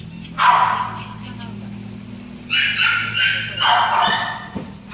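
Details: Great Dane puppy giving short, high, yappy barks in three bursts, near the start, middle and end, with brief quiet gaps between and a steady low electrical hum underneath.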